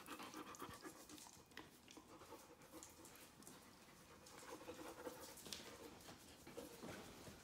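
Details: Puppy panting indoors, a fast, breathy, rustling huff repeated roughly four times a second, steady and noisy throughout, with faint household sounds behind.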